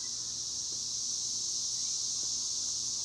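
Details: Cicadas calling from high up in trees, out of sight: an unbroken, shrill electric hiss that stays even and constant, with a faint low hum underneath.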